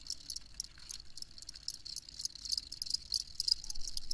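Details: Several crickets chirp in quick, high-pitched trilled bursts that overlap irregularly, forming a busy shimmering chorus over a quiet low background hum.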